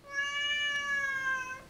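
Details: Chatty female Siamese cat at home replying to her owner's questioning with a long, steady, nasal meow held for about one and a half seconds, rich in harmonics, a woman asking about toys nearby.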